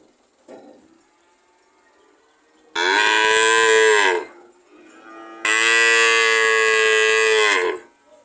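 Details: ['Two long, loud cow moos in succession, each rich and harmonic, holding steady before trailing off, with a brief soft sound beforehand and a quiet gap between.']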